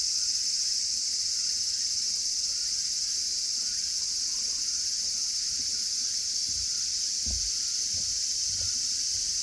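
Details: Continuous cicada chorus at Sanjung Lake in August on a very hot day while walking the lakeside path; an even, high, sizzling drone holds throughout, with a few soft low thumps like footsteps near the end.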